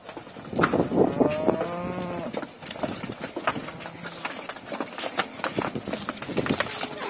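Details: Cattle coming out of their pen in a large herd; one drawn-out harmonic moo in the first two seconds, then hoof clatter, knocks and busy farmyard noise.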